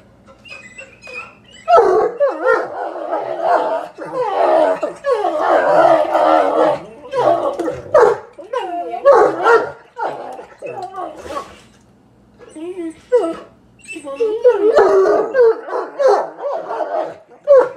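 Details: Two bloodhounds, one male and one female, trade drawn-out, wavering grumbles and moaning growls in bursts, arguing over a new plush toy all morning.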